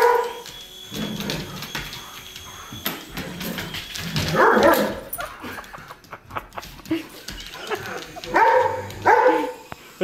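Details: Poodles Edgar and Mona reacting to a helicopter; mixed barks and whimpering yips over a busy background of mechanical noise and rustling, a louder bark pair near the end.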